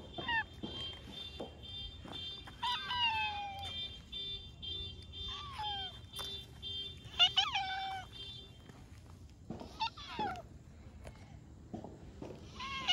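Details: Orange tabby stray cat, met again after a long while, giving its cute "nya-nya" meows: about four short, harmonic, downward-sliding cries spaced a few seconds apart over steady background music.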